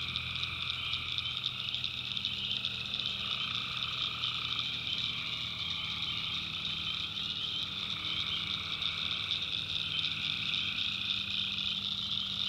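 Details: Tree frogs calling at night in a backwoods swamp in North Carolina: a dense, continuous chorus of high trilling and pulsing calls, with a steady band of lower droning tones running beneath throughout.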